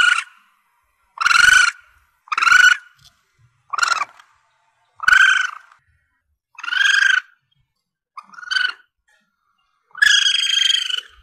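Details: Calls of a young Asian palm civet, used for luring when hunting: eight harsh, squealing cries at uneven intervals, some clipped short and others drawn out, over a quiet background.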